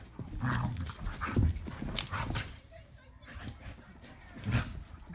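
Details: Border Collies rough housing in play: low throaty growls and scuffles in bursts, a brief quieter pause midway, then more growling, with human voices in the background.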